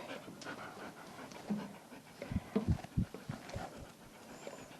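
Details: An Australian Shepherd, a well-behaved regular grooming customer, pants in short breathy bursts during his bath, louder and quicker around the middle of the stretch, over a steady background hiss of the grooming room.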